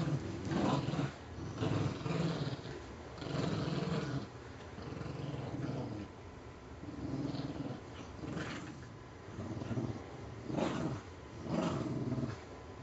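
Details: Two pet Puggles, Scarlett and Spike, playing tug of war indoors over a stuffing-less toy squirrel, Spike dragging Scarlett around; low rumbling growls come in bursts of a second or two, separated by quieter gaps.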